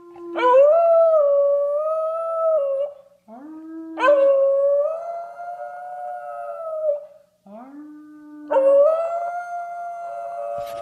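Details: American Bully dog howling indoors: three long sustained howls, each rising quickly then holding a steady tone with strong harmonics, separated by short low-pitched preceding notes and brief pauses.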